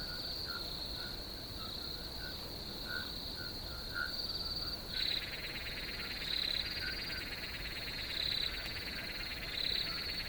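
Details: Cricket chorus for relaxation: a constant high ringing tone, joined halfway through by a dense, buzzy trill that fills the upper range, with brief louder chirps recurring about every two seconds.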